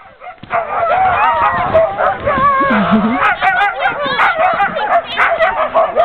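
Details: Sled dogs being hooked up to go sledding at Tamarack Sno-Park, heard from the sled; a dense, continuous chorus of overlapping high yelps, whines and wavering howls from many dogs, pitches sliding up and down throughout.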